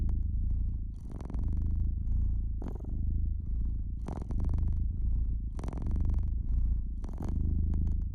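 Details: Domestic cat purring by a fireplace: a deep, steady rumble that swells and eases with each breath, about forty cycles a minute, while sharp crackles and pops from the fire break in over it.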